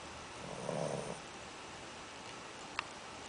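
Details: Shih Tzu puppy snoring after eating too much: a single low, rough, buzzing snore lasting about half a second, followed by quiet room noise and one sharp click near the end.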